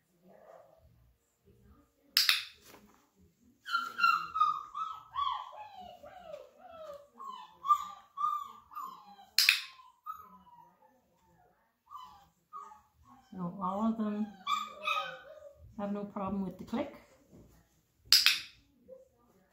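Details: Thirty-four-day-old Flat-Coated Retriever puppies meeting a clicker for the first time: a long, thin whine sliding downward in wavering steps, then lower nasal whimpers, broken by sharp clicker snaps and a person's voice.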